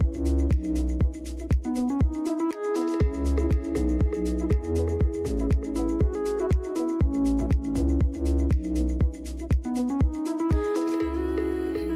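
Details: Electronic dance music with a steady driving beat at about two beats per second, punchy bass and bright synth chords, with no animal sounds.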